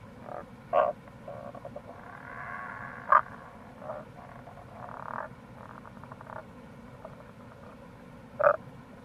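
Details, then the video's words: Tago's brown frog chorus in April beside a gorge, Kamo River, Itoshima, Fukuoka Prefecture, Japan: several loud clipped croaks between overlapping softer pulsed grating calls, with a continuous murmur of flowing water beneath. "Wild Frog Call | タゴガエル"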